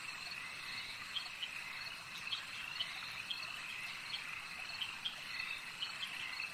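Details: Lakeside frog chorus, a continuous shrill drone layered with sharp, brief chirps repeated roughly every half second, some calls overlapping; no other clear sounds stand out.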